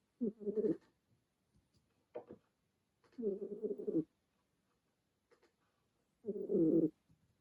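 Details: A kitten called Remi dozing and snoring away at home; throaty, rasping low snores close to one second each, three main ones spaced about three seconds apart, with a brief fainter snuffle between the first two.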